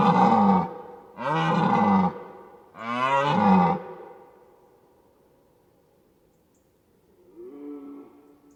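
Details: Deer calling: three harsh, rasping roars, each lasting about a second with rich buzzy overtones and a falling end, then a quieter, higher tonal moan after a pause.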